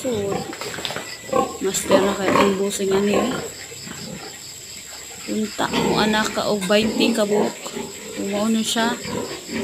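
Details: Sows in heat, some nearing 200 kilos, during an artificial insemination session: bursts of harmonic, wavering squeals and short grunts come in two clusters, separated by a quieter stretch, with human talking mixed in.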